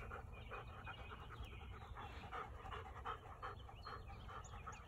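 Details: Farmed wild boar running around a field give quick, breathy huffing grunts, about three a second, over low rumbling noise.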